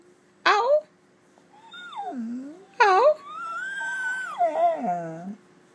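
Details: Gracie, a pet dog, in a small room trading howls with her owner: two sharp yelping bursts, each followed by a wavering, drawn-out howl that rises and falls, ending in a low sliding moan.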